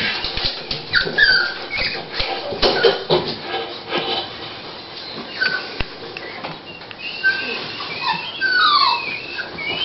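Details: Female Toy Pinscher Dolly at the onset of whelping lets out scattered high whines, a short cluster early on and a run of falling squeaky whimpers near the end, between quieter shuffling and rustling.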